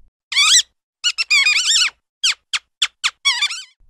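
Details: Mouse squeaking: shrill, thin, wavering squeaks given in short bursts, some single and some in quick runs of two or three, with silent gaps between.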